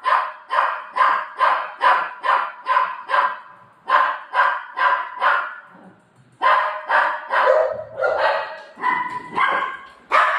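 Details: Pet Golden Retriever Buzo barks insistently over its eaten ice cream: rapid, regular barks about twice a second, a short pause, then more barks with a few higher, tonal yelping notes near the end.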